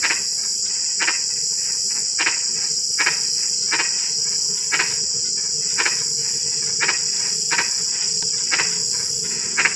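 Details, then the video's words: At night in drizzling rain, a frog gives brief, rasping croaks roughly once a second, fairly regular, while a loud, steady shrill insect chorus fills the background throughout. "SUARA KODOK HUJAN GERIMIS"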